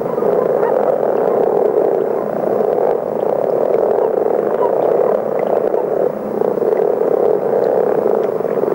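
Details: Massed common frogs singing together, producing a dull, droning snore like a distant motor, steady for about nine seconds with a slight dip in volume near the sixth second.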